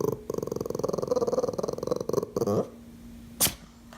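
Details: Dog producing a fast pulsed growling rumble for about two and a half seconds, then a brief sharp noise, with a low steady hum behind.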